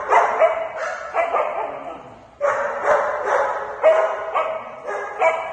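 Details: Excited barking from Sky, a fluffy Shih Tzu reacting to news of a trip to Dog Dayz daycare: clusters of high yapping barks with a brief pause midway, then renewed rapid barks.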